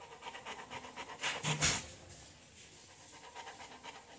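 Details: At a veterinary clinic a waiting Bullmastiff pants in quick, airy, rasping breaths, with a louder burst of huffing near the middle before settling back into softer, rapid breathing.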